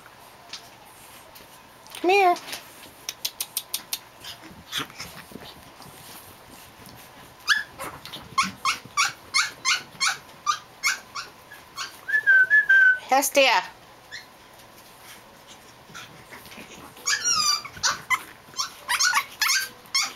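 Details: Japanese Chin puppies Hestia, Fizzz, Asti and a baby girl playing; sharp squeaky yaps in fast trains, a long whistled whine, rising squeals and growls, with a woman's voice saying names.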